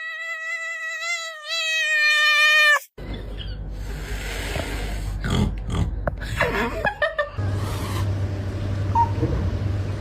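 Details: Cat making an unusual call likened to other animals: a loud, sustained, wavering tonal cry with a rich harmonic stack for nearly three seconds, cut off abruptly, followed by rustling, clatter and background noise.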